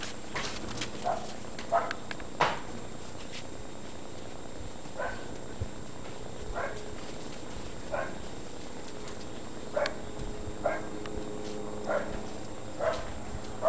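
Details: A litter of 52-to-56-day-old Great Dane puppies, litters O and N, at Baia delle Sirene breeding in Italy, let out short high yips and small barks, repeated roughly every second in loose bursts, with steady low hum behind.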